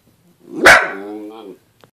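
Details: Dachshund howling for the first time, indoors: a sharp barked onset swells into a drawn-out, steady, harmonic howl that holds for about a second before cutting off, followed by a small click.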